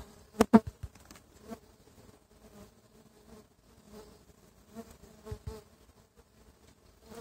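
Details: Stingless bees (Tetragonula biroi) from a feral hive, now boxed, at their first inspection one month after the box transfer: a soft, low, steady hum with faint layered overtones, broken by sharp knocks near the start and again around five seconds.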